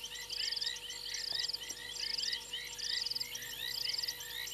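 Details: Night chorus of frogs on a fallen limb at Gowrie dam, Djuma Game Reserve in South Africa's Sabi Sand Wildtuin, 02:07 on 28 January 2022: shrill pulsed trills about once a second over countless quick upslurred chirps and a constant hum.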